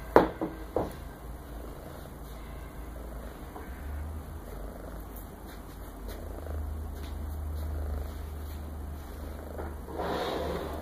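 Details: Maine Coon female cat, tortoiseshell, purring contentedly while asleep indoors, sprawled with paws spread or thrown behind her head; a low, steady, pulsing rumble runs throughout, with brief rustling at the start and near the end.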